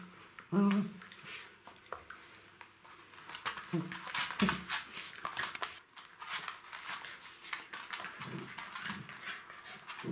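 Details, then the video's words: Three-month-old Jack Russell Terrier puppies playing with their mother indoors: a sharp short yelp near the start, then scuffling, panting and a few low growly bursts during the rough play, with a quiet human voice nearby. "Puppy games with mom / Jack Russell Terrier puppies, 3 months old"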